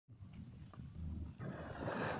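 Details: Fur seal playing and performing near a fishermen's boat at anchor in the Uglegorsk port waters of the Tatar Strait, Sakhalin, in June 2020, six kilometres from shore. A low, throaty rumbling growl gives way to a broad rushing wash of noise after about one and a half seconds.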